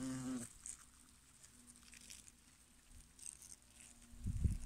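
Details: European hornets (Vespa crabro) at work in a hollow tree trunk: a brief, loud, low wing buzz, then a faint steady hum continues.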